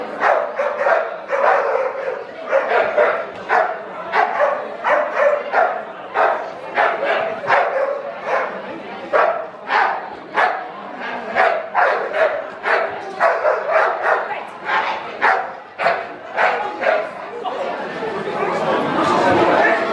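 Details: Repeated Bull Terrier barks at a March 2016 championship show of the West of England Bull Terrier Club: a long, fairly even string of short harsh barks, one or two each second, before crowd noise swells near the end.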